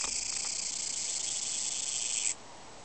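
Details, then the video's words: Tsukutsukuboshi cicada, a Japanese species, giving a continuous high, shrill buzz that holds steady for over two seconds and then cuts off abruptly, leaving faint background noise. "ツクツクボウシ -- japanese cicada "Tsuku tsuku boushi""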